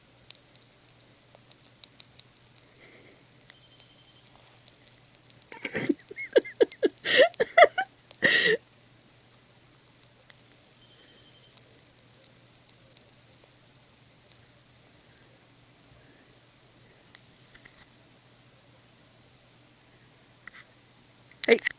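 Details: Teddy bear hamster named Buster loudly eating banana, a pet that loves the fruit; bursts of wet chewing and nibbling clicks around the middle, then quiet, with a short crunchy burst at the end.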